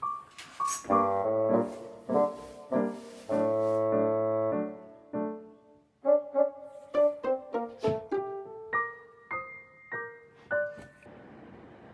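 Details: Solo piano plays sustained chords and then a descending melody of single notes, with no animal voices.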